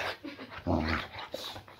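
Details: Boxer named Layla greeting her owner indoors just after he comes home from work, a playful rough welcome; a short low growly vocal burst rises in the middle with harmonic stripes, over light room noise.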